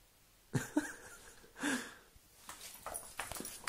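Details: Saint, a female Doberman, indoors in a small room playing with her red rope toy: three short, low, throaty grunting bursts, each under half a second, followed by soft rustling and thumps of play.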